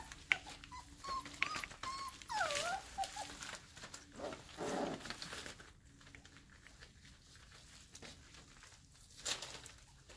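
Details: Airedale Terrier puppies nearly five weeks old at play after breakfast, one of a litter of nine purebreds; high wavering whimpers and squeals rise and fall in the first half, followed by a harsher yelp and quieter scuffling.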